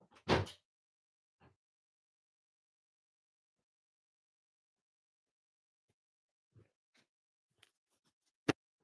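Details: Mostly silence indoors, broken by a door thump at the start and a few faint knocks and clicks near the end.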